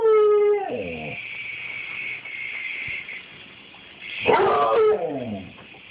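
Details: Dog barking at a toy helicopter: a high whining howl sliding downward at the start, a steady high motor drone in between, then another wavering, descending yelp-howl near the end.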